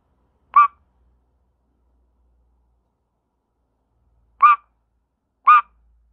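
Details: Frog screaming, three loud harsh squawks, short and raspy with a nasal edge, one near the start and a pair about a second apart near the end, separated by silence.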